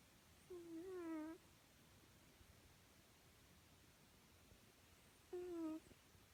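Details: Domestic cat asleep and snoring: two brief wavering whistle-like breaths roughly five seconds apart, separated by near silence in a quiet indoor room.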